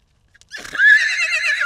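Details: A young wild horse at the Salt River in Arizona, a foal separated from its mother, gives a high, quavering whinny after a brief breathy snort, recorded from long range.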